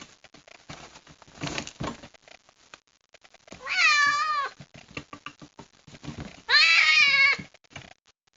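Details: Kitten found in the rain and placed in a box, unhappy about it: two loud, wavering, drawn-out meows, each under a second, separated by scratching and rustling against the box.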